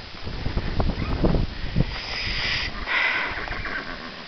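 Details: Horse whinnying on a filly's first time out, as a guardian dog meets her: two breathy, rough bursts of neighing follow several low thuds and rustles, with a person speaking softly nearby.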